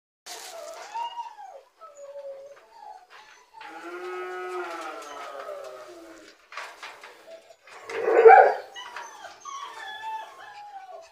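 Rottweiler puppies whine and howl in high, wavering tones, with a sharper yelp near the end.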